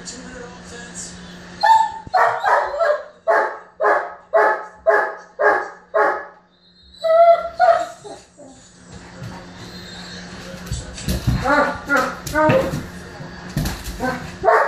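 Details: German Shepherd, a male, barking in a tantrum after his ball rolled under the bed: a brisk series of about ten loud, evenly spaced barks, a brief pause, then rougher, more broken barking with whines.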